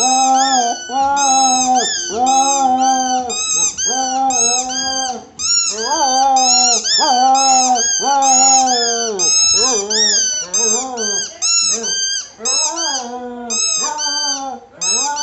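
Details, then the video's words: Cocker spaniel singing in a small room: a steady stream of wavering howls, some notes held long, others short and bending upward, roughly one per second, with brief dips between phrases. "Cocker spaniel singing"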